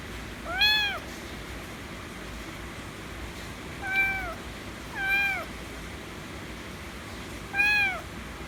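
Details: A white kitten calls for affection with four separate meows over eight seconds, each a curved, harmonic-rich cry, the first and last loudest, gaps of one to two seconds.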